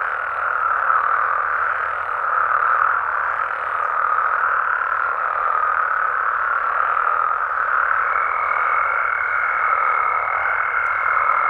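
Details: Massed frog calls on a Mexican night, a steady dense roar of many croaking voices with a faint low hum beneath; a clear high held tone enters late and continues.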